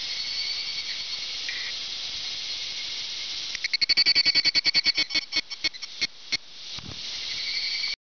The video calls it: ヒグラシ（Evening Cicada）